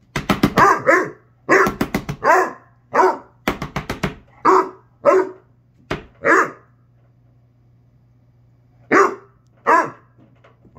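A Basset Hound gives a string of deep, rough barks in uneven bursts with short pauses.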